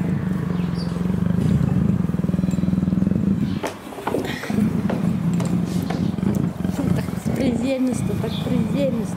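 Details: Captive female leopard in heat, gentle with keepers, purring as she is stroked: continuous low pulsed rumble, briefly interrupted, while a woman talks to her in Russian.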